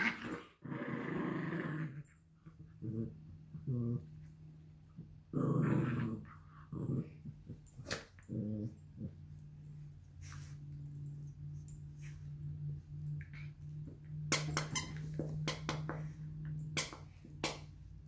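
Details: Playful fight over a toy fox between Luigi, a 12-week-old Alaskan Klee Kai cross Pomeranian puppy, and Pooki, a 7-year-old American Eskimo cross Chihuahua; a long, low sustained growl runs beneath scattered short bursts and clicking sounds of play.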